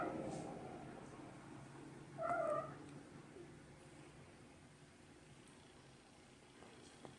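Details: A kitten gives one short, tonal meow midway through. The rest is quiet with faint background hiss and a soft click near the end.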